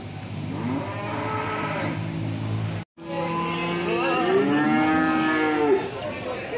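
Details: Angry, raging cow giving long, deep, strained moos, one drawn out steadily and then a second rising and wavering louder, with a brief silent break between them and faint vehicle noise.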